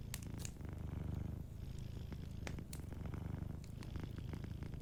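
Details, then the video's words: Cat sleeping by a fireplace, its purr a loud, throaty low drone that surges and subsides with breathing, overlaid by scattered sharp crackles and pops from the fire. "Warm Fireplace Ambience with a Sleeping Cat 🐱💤Fireplace & Soft Purring"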